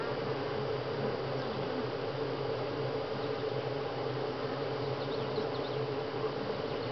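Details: Busy honey bees at Grass Lake Sanctuary during week 6, July 25, 2011, producing an unbroken, rich buzzing hum with a low droning undertone and a steady mid-pitched whine throughout.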